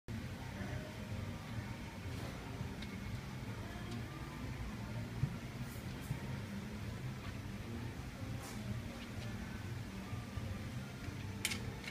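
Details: Constant broadband indoor noise with a low rumble and occasional faint clicks, with no animal voice heard.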